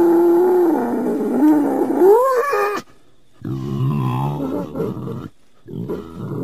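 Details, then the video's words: Wild boar giving a sustained, wavering, tonal call that bends upward, then after a pause two rougher, grunting bursts separated by silence. "WILD BOAR SOUNDS - Wild Boar Call"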